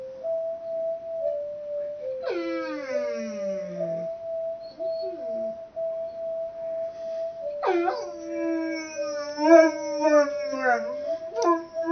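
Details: Mastiff in a messy kids' room howling along to a steady played melody of Mary Had a Little Lamb; two long wavering howls, the first falling in pitch, the second bending up and down over the sustained tune.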